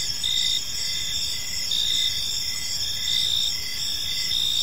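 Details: Evening cricket chorus in a park: high-pitched trills and pulsed chirps overlapping in a continuous shimmering wall of sound, with soft low rumble beneath.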